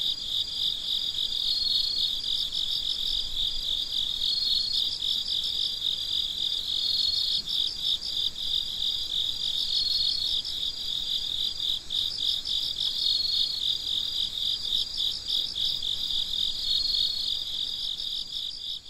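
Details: Crickets chirping at midnight in a steady, dense chorus of high, pulsed trills that carry on without pause, layered calls overlapping continuously with a faint hiss beneath and no other animals or people heard.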